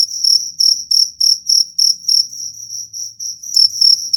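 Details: Cricket chirping, presented as a rat-repelling sound: piercing high chirps about three per second, blurring briefly into a longer trill midway, then resuming distinct pulses; faint low background hum.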